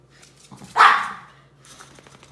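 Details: Shih Tzu, one of a pet pair called the Furry Duo with MoMo, reacting indoors to a new orthopedic dog bed; a single sharp bark bursts out and quickly fades, amid faint rustling and a low hum.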